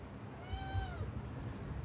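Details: One clear, long meow from a very sick kitten, smoothly arching up then sliding down over about half a second, heard against a low steady hum.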